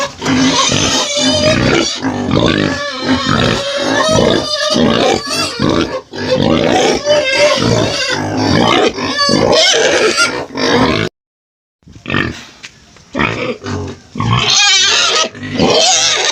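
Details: Pig squealing and grunting in dense, harsh, rapid bursts for about eleven seconds, then a second of silence, then more scattered loud squeals.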